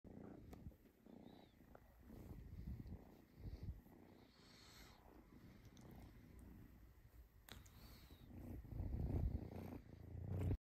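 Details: Egyptian Mau cat purring softly, a quiet low rumble that swells and fades unevenly over about ten seconds, growing slightly louder near the end, with a few faint rustles and clicks.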